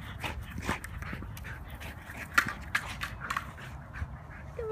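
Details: Tazz, a rescue Belgian Malinois male, playing with a ball at high energy: short, irregular breathy pants and thin whimpering bursts, with a few sharper spikes.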